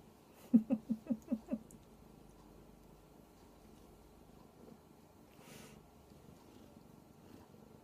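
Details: Radish, a giant kitten seeking attention, gives a quick run of six loud, low pulsed purring bursts in about one second, then falls to a faint rumble with a brief rustle midway through.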